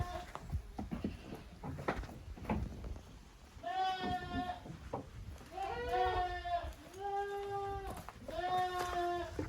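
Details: Goat kids of Koharu and Okayu playing in two teams in the exercise yard at Yoshigake handmade goat farm, 13 June 2023; several wavering bleats follow one another in the second half, over scuffling and rustling.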